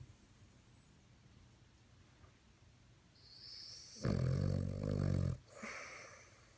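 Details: Dog snoring: after a few quiet seconds, a gradually building breath turns into a loud, deep, gravelly snore of over a second, ending in a short snuffling sound.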